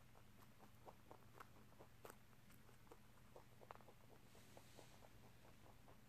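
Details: A rabbit crunching corn and rice snacks, a favourite treat given only in small amounts, with quick, irregular clicks and crackles over a low steady hum.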